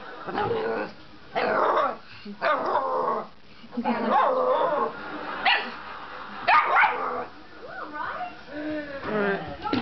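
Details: Staffordshire Bull Terrier puppy named Dora, playing and running after a bottle: rough playful growls and short yips in bursts, with a human voice speaking and clattering handling noises throughout.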